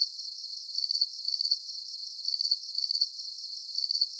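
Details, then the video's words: Night cricket chorus meant as a calming sleep soundscape; shrill, pulsing chirps come in short trilled bursts, grouped with brief pauses between clusters, steady and high-pitched, nothing else audible. "Calming Cricket Sounds"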